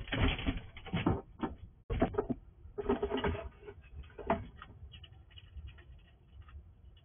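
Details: Wild squirrel at a house at night, quickly eating all the food: dense bursts of crunching and gnawing in the first half, thinning to scattered softer chewing clicks toward the end.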